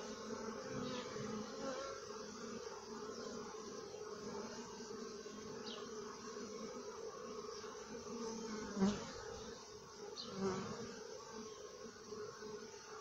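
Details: Honey bees inside the hive, from a life cycle film for children: a steady, layered droning hum with a low fundamental and stacked overtones, holding even through the clip apart from a couple of brief louder knocks.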